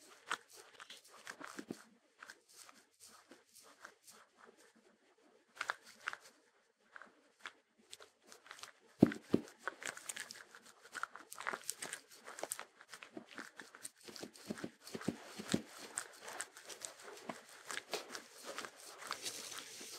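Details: Shetland Sheepdog (Sheltie) eating, recorded for ASMR with no music; scattered, irregular crunches and chewing clicks, sparse and soft in the first seconds, then denser and louder bursts after about nine seconds.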